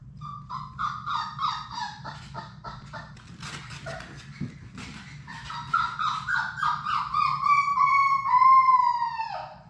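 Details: Six Labrador Retriever puppies at play in their puppy play room, giving rapid repeated high yips and whines, ending in a long falling whine with clear harmonics; a steady low hum runs underneath.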